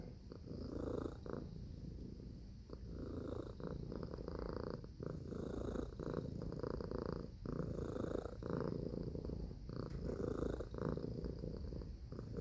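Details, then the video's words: Steady, loud cat purr, a deep buzzing drone with gentle breath-paced swells and short pauses throughout. "Purring Cat Sound Effect"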